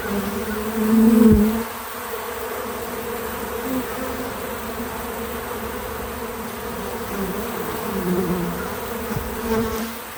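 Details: Bees at a feeder, natural audio left untouched: a loud close buzz of one bee at the start, then a steady softer hum of wings with harmonics shifting in pitch as insects move about.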